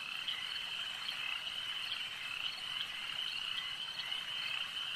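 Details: Many frogs calling together at a lake at night, a dense continuous trilling chorus centred high, with rapid pulsing notes layered throughout and no other clear sounds.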